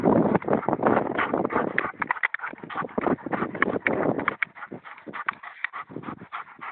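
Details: Vlasic Tornjak, a Bosnian shepherd dog, panting in quick, uneven breathy pulses, loud and harsh at first, then softer and more broken.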